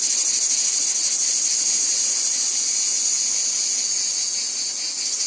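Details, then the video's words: High, hissing buzz of many cicadas in a wheat field, smoother and less pulsed than a trill, with a brief dip in loudness near the end before resuming. "Cicadas Ambience | Wheat Field Cicadas Background Noise"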